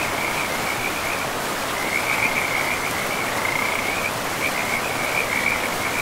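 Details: Frogs calling by a river in pristine woodland: a high, buzzy pulsed trill running almost without pause, with a short gap near the middle, layered over the constant roar of the stream.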